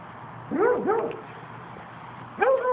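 A Basset Hound gives short, mournful howling yowls that swoop up and then slide down.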